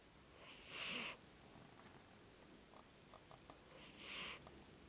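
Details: Snoring from a 14-year-old cat: two hushed, airy breaths about three seconds apart, with faint small ticks in the quiet between them.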